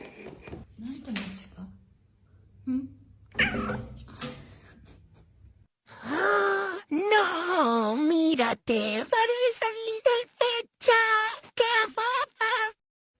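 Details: Domestic cat in a funny pet compilation, meowing in a rapid run of short, arched, tonal calls repeated about once a second after a stretch of low murmuring voices, with brief gaps between cuts.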